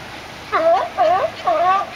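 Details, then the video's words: California sea lions at La Jolla give three hoarse, honking barks in quick succession, about half a second apart, each slightly bent in pitch, over faint background hiss. "Sea Lions Barking"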